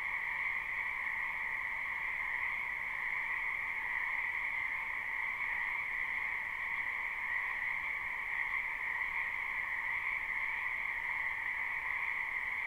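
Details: Live spring recording of many wetland frogs croaking at once. The calls merge into a seamless, buzzy trilling hum on two steady pitch bands, sustained without gaps or changes.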